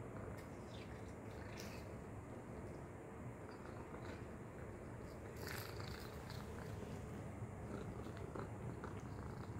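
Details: Tacy the cat purrs while playing with a treat toy: a steady, dense low rumble running unbroken throughout, with light clicks and taps from the toy scattered over it.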